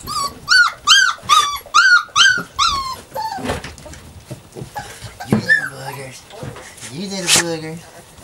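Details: Puppies Savannah and Jericho at play: a quick run of six high, arching, whiny yelps in the first three seconds, then scattered softer squeaks, grunts and a final sharp squeal amid indoor rustling.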